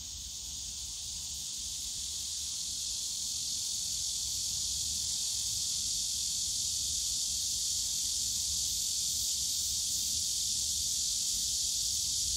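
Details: Bamboo forest at Yongsan Family Park on a summer day, with cicadas droning as an unbroken high-pitched hiss that swells slowly louder throughout.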